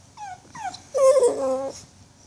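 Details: Sleepy puppy Jill gives two short falling squeaks, then a longer, louder, steady whine with a slight wobble, in a quiet room.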